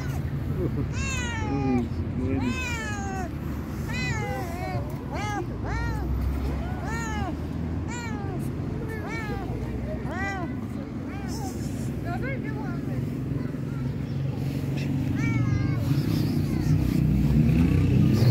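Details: Very hungry fluffy stray cat cries in a steady run of arched, harmonic meows roughly once a second, each rising then falling in pitch, thinning out later while low traffic rumble swells underneath.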